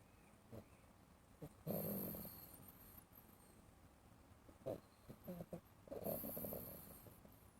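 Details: Domestic cat wearing an Elizabethan collar, snoring while asleep and dreaming: two soft, rough breathy snores about four seconds apart, each lasting roughly half a second, with faint rustling between them in a quiet room.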